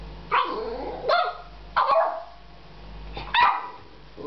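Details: American Staffordshire Terrier named Jasper barking at a cat on their first meeting, frustrated because he wants to play; four loud, rough barks come roughly every second, the last trailing off.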